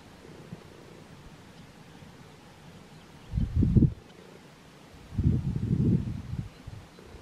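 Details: A chacma baboon (Papio ursinus) in a family group in warm early-morning sun, Golden Gate National Park, South Africa, 23 November 2022, gives two low, rough grunting bursts about two seconds apart.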